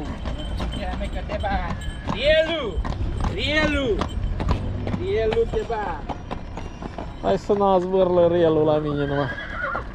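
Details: A mare filmed at Recea, Maramureș, Romania. A man talks throughout. Near the end comes a long, wavering whinny of about two and a half seconds, stepping downward, over hoof clatter.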